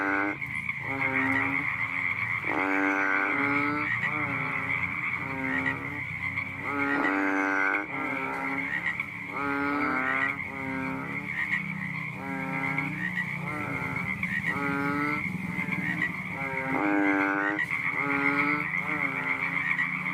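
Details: At night, a fat water frog calls with low, buzzy, nasal, rattling croaks in short bursts every second or two, in an uneven series over a steady high insect-like drone.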